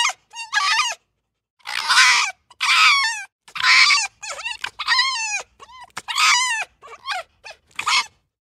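A red fox gives a rapid series of harsh, high screams and wavering yelps.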